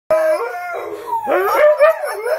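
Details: Two Siberian Huskies howl together, long sliding tones weaving over each other, one steady and one rising then wavering, overlapping through the whole stretch.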